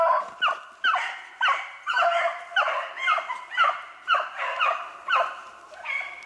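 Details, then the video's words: Beagles running snowshoe hare, recorded 8 March 2016. Regular series of short, ringing bays, each dropping slightly in pitch, about two a second, in a lively chorus of hounds. "Snowshoe Hare Hunting With Beagles"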